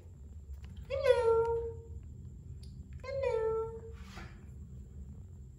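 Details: Three-month-old domestic shorthair kitten up for adoption in Bandar Rimbayu, Selangor, born 31 July 2019, gives two drawn-out meows about two seconds apart, each falling slightly in pitch, followed by a brief rustle, with a low background hum.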